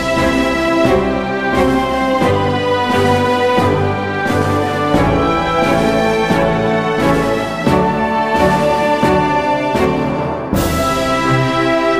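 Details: Steady instrumental theme music with layered tones and rhythmic beats, and no animal calls.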